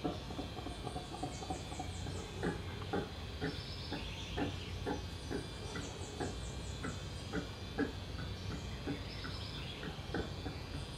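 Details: Bugios, howler monkeys heard from a backyard, giving rhythmic low barking grunts about twice a second in a steady throaty series, while small birds twitter thinly overhead and a constant low hum fills the background.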